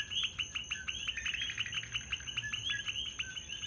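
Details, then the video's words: Coquis calling everywhere in Puerto Rico, a dense chorus of short, bright two-part chirps repeated several times per second by many frogs, over a steady high insect-like hiss. "Puerto Rico: The Sound - Its Most Beautiful Sound"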